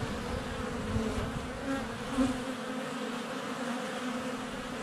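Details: Close to a honey bee hive entrance on a sunny February day, a GoPro Hero 7 Black picks up a soft continuous buzz of bees in flight, with brief louder swells as individuals pass.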